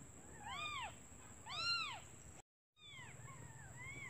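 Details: Newborn kittens calling for their mother, who has gone out to find food, because they are hungry. Thin, high arched mews with rich harmonics, two strong cries in the first two seconds, then a short silent gap and several fainter overlapping mews, over a steady high whine.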